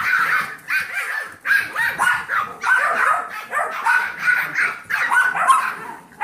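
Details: Yorkie foster puppies, seven weeks old, playing with Trouble, an older Golden Retriever mix foster pup; high, squeaky barks and yaps tumble over each other almost without pause, roughly one burst per second.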